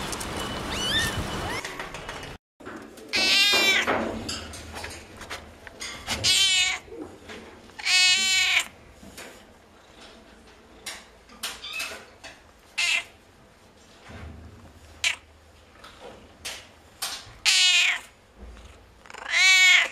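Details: Cats and kittens in a compilation of noisy meowing: repeated loud, strained harmonic meows, some wavering, separated by quieter background noise and brief thumps.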